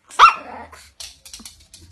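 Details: Angry Chihuahua pet dog letting out one loud sharp bark followed by a trailing growl, then softer scattered noises and short yips.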